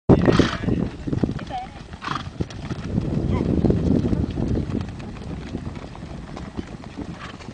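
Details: Mongolian horses in Terelj National Park, Mongolia, near Turtle Rock: rapid clip-clop hoofbeats and a short whinny, with people talking close by.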